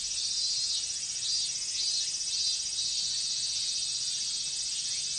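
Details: Japanese summer cicada chorus of minmin cicadas, a continuous very high hissing buzz with a faint pulsing waver, steady throughout with no other sounds.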